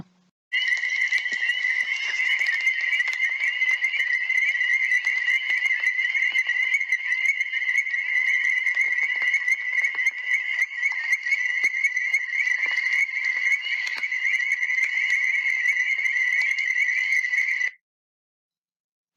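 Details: Illinois chorus frogs, a state-threatened species of rare sand prairies, from the studied Madison County, Illinois population. A dense chorus of many high, clear peeping whistles overlaps into a steady ringing wall.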